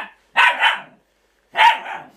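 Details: Laika dogs at a yard, a male asserting dominance over a female while they sort out their relationship; two sharp, loud barks, the first a quick double bark, the second about a second later, with silence between.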